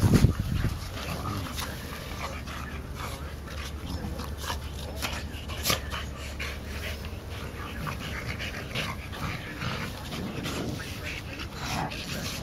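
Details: Three Olde Boston Bulldogges, two brothers and their white sister aged one year eight months, playing together in July 2012; breathy panting and scuffling bursts with scattered thuds over a steady low rumble.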